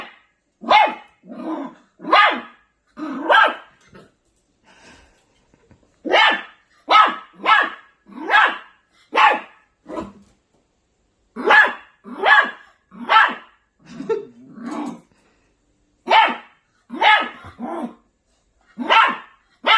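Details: Angry Maltipoo puppy barking in a rapid, uneven series of sharp high yaps, some doubled, with short pauses between bursts.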